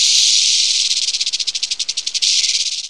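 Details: Rattlesnake rattling: a dry, hissing high-pitched buzz, continuous at first, then breaking into rapid pulses that slow slightly, then a steady buzz again.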